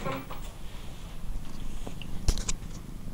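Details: Sleepy male domestic cat, just woken and drifting back asleep with tongue sticking out, purring in a steady low rumble throughout, with faint soft human voices and small clicks in a quiet room.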